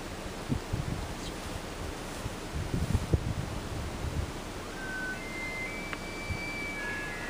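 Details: Male elk in Upper Beaver Meadows, Rocky Mountain National Park, Colorado, on an afternoon, gently sparring: a distant bull bugles with thin, high whistled notes rising out of steady wind rumble, followed shortly by another bugle.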